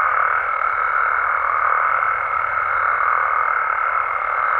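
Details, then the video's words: Wild frogs and toads in Mexico calling after dark, a seamless buzzing chorus of many callers overlaid with a steady high whine that never breaks. "Mexican Frogs & Toads Sounds"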